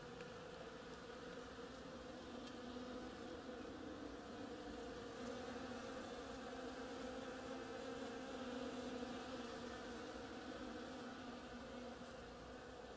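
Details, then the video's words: Several bees foraging busily on a flowering oriental creeper; continuous droning buzz holding a level pitch, slightly swelling in loudness midway, with faint rustles in the background. "Bees hard at work on my oriental creeper"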